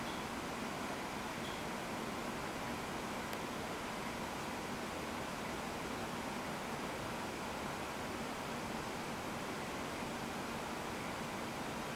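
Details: Constant broadband hiss like rushing air or surf, with no distinct animal sound.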